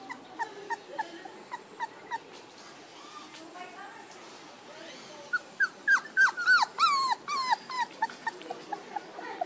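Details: One-month-old puppies whimpering and yelping, short high rising-falling cries repeated about three per second, sparse at first then a denser, louder burst in the second half, over faint background hiss.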